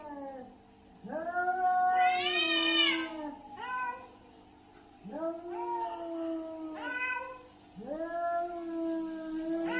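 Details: Aggressive cat fighting, letting out a sequence of moaning yowls that swoop upward and then fall, one loud strained peak early, later wails quieter and wavering, low background hum.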